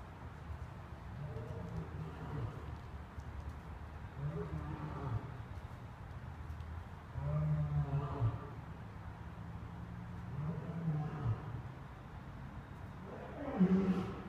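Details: Lions at play at the National Zoo on 10/31/2014: low, harmonic groaning growls come in bursts about every three seconds, with a steady rumble of traffic and vehicles underneath.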